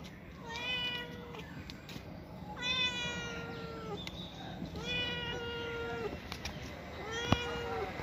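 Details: Cat calling in a series of four drawn-out, slightly falling meows spaced about two seconds apart, each strong and tonal, against faint indoor background noise.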